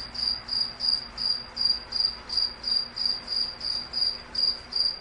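A cricket chirps steadily, short high trilled pulses repeating about three times a second.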